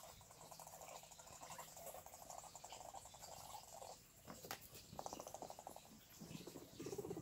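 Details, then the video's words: Guinea pigs giving a low, fast-pulsed rumbling purr that runs steadily for about four seconds, then returns in shorter bursts, with soft rustling and scattered clicks in the background. "Guinea pigs mating?"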